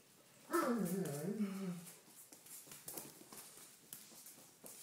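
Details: Doberman Pinscher puppies, red rust, 28 days old, indoors: one drawn-out falling whimper lasting about a second, followed by soft shuffling and light tapping sounds in a small room.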